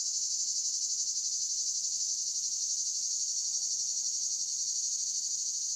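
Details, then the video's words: Countryside cicada chorus forming a dense, shrill continuous buzz that throbs in quick regular pulses without pause; no other animals or noises stand out. "Cicadas Countryside Loop"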